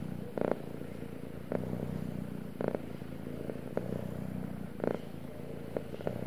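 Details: A male cat purring steadily, a low continuous rumble with regular rhythmic pulses, broken by brief brighter bursts of higher sound every second or so.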